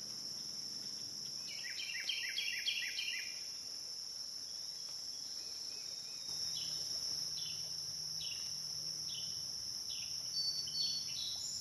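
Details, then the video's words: On the Licking River in Morning View, between dusk and dawn, cicadas keep up a constant shrill drone while a series of quick, falling chirps sounds early on and again toward the end. "Cicada to Cicada - a 12 hour accoustical journey on the Licking River in Morning View"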